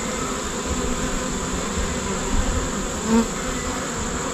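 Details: Honey bee swarm giving a dense, steady buzzing drone, broad and low, with an even loudness throughout and a faint constant high whine above it.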